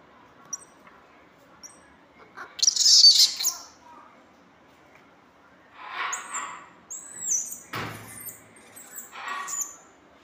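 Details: Squirrel monkey giving high, thin chirps and squeaky twittering in short bursts, one louder squeal early on, then softer calls and a sharp knock.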